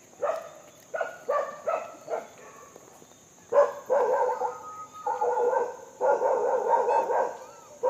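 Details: Monkey vocalizing during feeding, giving clipped rough barks early on, then longer grating, drawn-out calls in the second half, over a constant high-pitched hum.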